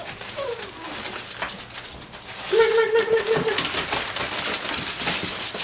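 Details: Dobermann puppies aged six weeks and five days, playing as a group with a flirt pole indoors; a single steady whine of about a second rises out of scuffling, clattering play noise.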